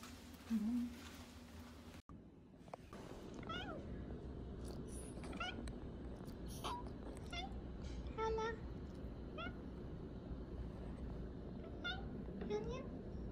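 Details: Meows of a pet cat indoors, a rescued street cat in a family's care, short harmonic mews with rising-falling pitch repeated through the clip over a low steady room hum, with brief human talk near the start.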